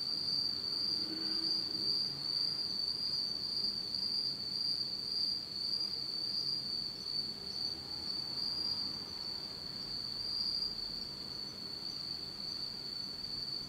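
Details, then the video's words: Insects on an autumn night in Japan, total darkness: a continuous, high shrill trill ringing steadily for the whole stretch, with a weak higher overtone and occasional faint lower chirps over low hiss. "真っ暗闇の秋の虫の声 Beautiful sound of insects in the fall of Japan in total darkness."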